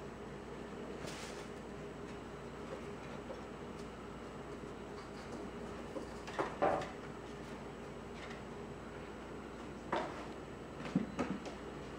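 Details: Quiet indoor room hum broken by a few soft knocks and clatters, like a door or cupboard moving, with no animal calls.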